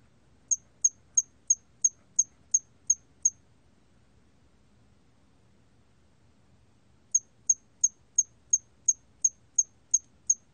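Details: Korean hairy cricket, 2020 recording: two bursts of eight and nine high, thin chirps, evenly spaced about three a second, separated by a few seconds of near silence with soft low rumble.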